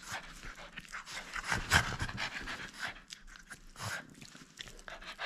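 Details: Breathy, irregular panting and snuffling from a French Bulldog at play, not giving up its toy, with one sharp louder snort partway through.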